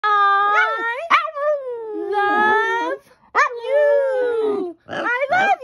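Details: A Boston Terrier 'talks' in drawn-out, whiny howls that slide up and down in pitch like mimicked speech, seemingly saying 'I love you' back to his owner.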